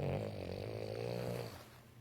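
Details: Male Boston Terrier snoring while drifting off to sleep indoors: a long, low, raspy snore with a fluttering, vibrating rattle for about a second and a half, then fading into soft breathing and a quiet room.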